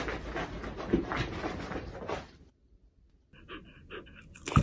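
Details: A female Pembroke Welsh Corgi, during her everyday routine, pants in quick breathy bursts, then gives a few short, high, tonal whines.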